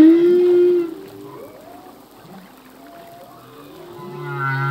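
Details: Humpback whale song from a male, recorded in the ocean: a loud tonal moan with harmonics opening the passage, then quieter drifting, sliding whistles and a rising harmonic sweep near the end.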